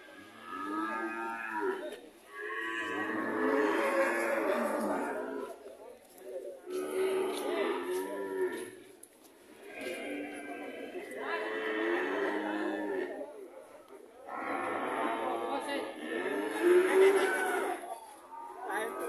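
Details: Red cattle in Indonesia: overlapping, drawn-out harmonic moos in long blocks about two seconds each, separated by short pauses, with a steady high hiss behind.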